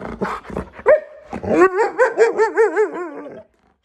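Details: Female Siberian Husky indoors yelling at her owner because her food bowl is empty: a few short barks, then a long wavering howl-like vocalization rising and dipping in pitch about five times over two seconds.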